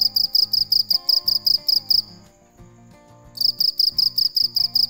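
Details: Cricket calling at night: high, shrill pulsed chirps repeated almost three times a second, fall silent for about a second midway, then resume, with soft music and a low rhythmic beat behind.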